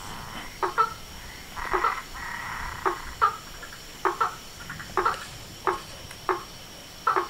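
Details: At dusk by a pond facing a veranda, frogs, toads and treefrogs give brief knocking notes, some doubled, repeated irregularly several times a second to every second, over a low steady hiss.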